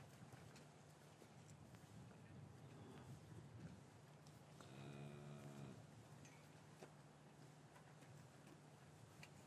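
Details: Cow lowing in a traditional English cattle yard on a winter afternoon, after the calves had been separated from their mothers. One deep, harmonic moo lasts about a second mid-recording, over a constant low farm hum with faint knocks and shuffling.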